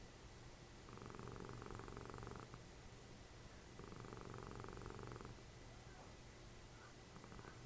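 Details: Cuddly cat Dessie, Fritjof's mother, sounds like a little snoring machine while the TV is on. Two drawn-out, finely pulsed rumbles, each roughly one and a half seconds, are separated by quiet breathing pauses.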